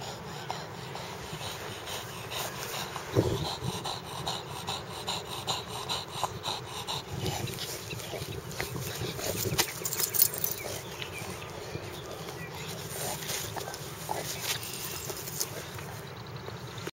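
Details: Justice, a bulldog, tearing apart a soccer ball: soft snorts and wheezy, panting breaths with scattered sharp chewing clicks and crunches, all over a steady background hiss.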